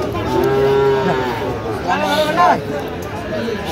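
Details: Sahiwal bull calf at a cattle market in Rangpur, Bangladesh, on 5 December 2025, giving a short tonal moo followed by a second rougher low call a second later, with chatter and bargaining voices around it.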